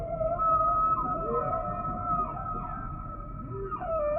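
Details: Humpback whale song: steady tonal moans held at mid pitch with higher harmonics, broken by short upswept and downswept glides, over a soft low rumble of background water noise.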